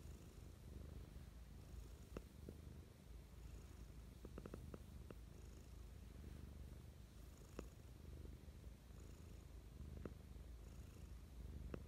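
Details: Low continuous purring from Mischa the cat during morning affection, with faint wheezy pulses on each breath and scattered small clicks and taps over the rumble.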